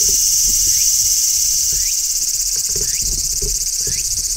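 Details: Large brown cicadas in midsummer, one on a tree, give a dense, sizzling high buzz like oil frying, unbroken with a faint pulsing texture and occasional soft rising chirps beneath.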